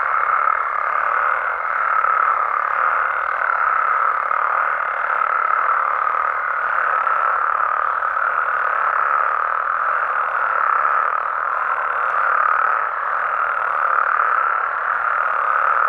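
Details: Night chorus of frogs and toads from Mexican habitats: continuous overlapping croaking forms a steady hum, with a faint high tone fading after about six seconds and slight swells in loudness.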